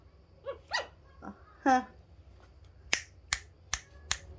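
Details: Chihuahua puppies fighting among themselves while their mother is nearby give a few short, high yelps and whines, followed by sharp finger snaps.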